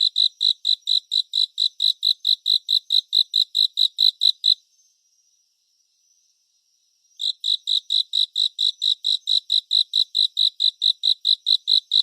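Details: A cricket's high, rhythmic chirps in a 3D surround relaxation and sleep track: a regular run of about four to five pulses per second, a quiet pause of some two and a half seconds, then the same chirping returns.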